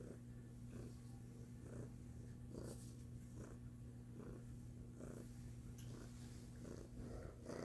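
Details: Stella the cat purring loudly, rhythmic low throbbing bursts repeating a little under once per second over a constant droning hum, with occasional faint rustles.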